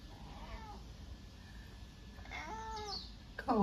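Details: Pet cat lounging on a bed in the mother's bedroom; faint meow early on, then a clearer falling meow midway, ending with a loud close sound while a woman speaks Japanese affectionately.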